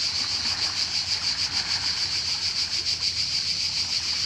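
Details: Cicadas singing in summer in Croatia: a loud, steady high-pitched rasping drone, pulsing rapidly about three times per second, filling the clip with no pause; faint low rumble underneath.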